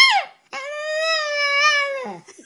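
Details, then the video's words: Dog "talking" to its owner indoors: a short falling yelp, a brief pause, then a long steady harmonic whine-howl lasting about one and a half seconds that wavers slightly and slides down at the end, after a person asks if it wants its momma. "Funny Talking Dogs Compilation Talking Dog Videos"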